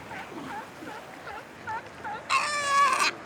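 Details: Sea lion pups call to find their mothers, who answer with a similar call: a string of soft, quick bleats about twice a second, then one loud, harsh, goat-like bleat lasting under a second.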